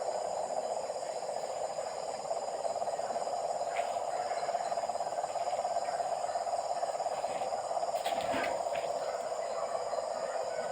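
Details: Many frogs heard at night near a house, their calls merging into an unbroken, throbbing trill at a steady low-mid pitch, with a brief rustle or knock near the end.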